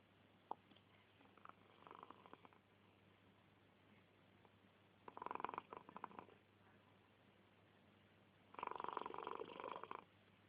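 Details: An 11-year-old male cat snoring while asleep indoors. Two breathy, rasping snore bursts stand out after long quiet stretches, with a faint click early on.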